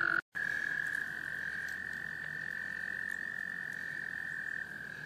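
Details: American toads in a small pond in Laurens County, South Carolina, USA, in March 2014, during breeding; a male gives a long, steady, high musical trill, calling in females.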